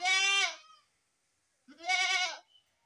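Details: Young goat kid giving two loud, harmonically rich bleats, each about three quarters of a second long, separated by a second of silence.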